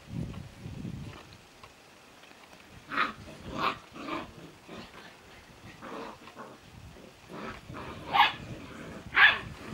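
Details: Old English Sheepdog puppies from a litter born 20 March 2017, playing: short yappy barks and yips scattered irregularly, louder bursts near the end, with low thumps and rustling of play early on.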